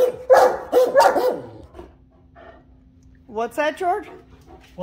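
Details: Two Great Danes "talking" give bursty, wavering yips, then a rising-and-falling moaning whine. People talk over the first part, and a low steady hum runs underneath.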